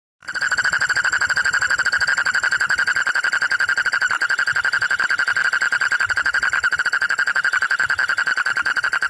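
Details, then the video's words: Frogs after the rains give a steady, rapid pulsed croak, a fast buzzing rattle with a bright ringing tone, as if competing to see who can croak loudest. "Frog Croaking"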